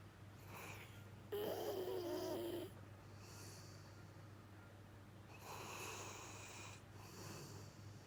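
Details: Deep asleep, Jiji, a male rescue Labrador-Schnauzer mix, gives a drawn-out, whistling, wheezy snore lasting over a second, followed by quieter airy breaths, with a constant low electrical hum in the room.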